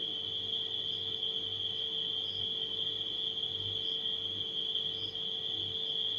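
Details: Crickets at night keep up an unbroken, shrill, steady trill, with a few faint higher chirps at intervals, while a refrigerator hums low and constant beneath them.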